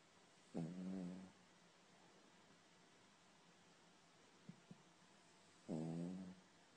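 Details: Sleeping dog snoring, two buzzy, rasping snores about five seconds apart with soft low breathing and small clicks in between over steady background hiss.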